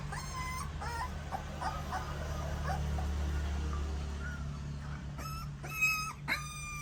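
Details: Puppies nursing on their mother: scattered thin whimpers and squeaks over a steady low hum, then two louder bright rising whines near the end.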